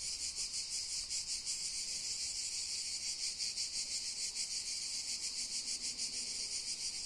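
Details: Cicadas calling on the Koshka ("Cat") mountain: a dense, continuous high buzzing chorus with a fast, slightly uneven pulsing throughout, steady in loudness, with no other clear sounds.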